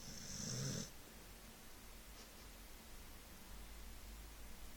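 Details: Uzi, a lazy male Staffordshire Bull Terrier, gives one deep, rasping snore, then the room goes quiet.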